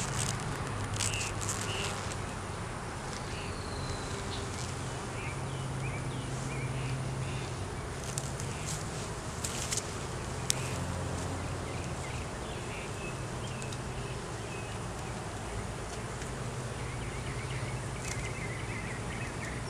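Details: Honey bees in an opened hive during a beeyard inspection, the colony found with a laying queen, honey, capped brood and larvae: a steady low droning hum throughout, broken by sharp clicks and knocks from handling, with faint high bird chirps.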